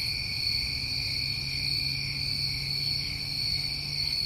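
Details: Crickets of a New England summer trill without pause, a bright shimmering band over lower steady layers, the high tone slightly pulsing, over a faint low hum.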